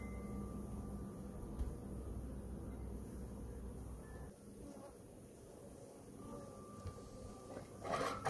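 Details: Faint low room rumble with a few thin electronic tones and a brief clatter near the end, with no buzzing of bees or other animal sounds.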